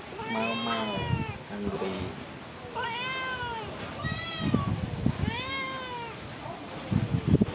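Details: Stray cats living at a pagoda, being fed rice and fish: several clear, drawn-out harmonic meows, rising then falling, about four in quick succession, with feeding clatter and a person's voice nearby.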